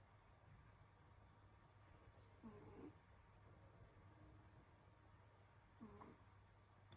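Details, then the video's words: A domestic cat asleep indoors in winter, snoring softly: two quiet, breathy snores with a faint low hum, about three and a half seconds apart, over a steady low background drone. "Snoring cat |Pusang humihilik"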